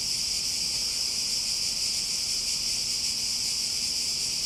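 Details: Continuous shrill cicada chorus, a dense even hiss with slight rapid pulsing in its upper range, holding constant loudness throughout.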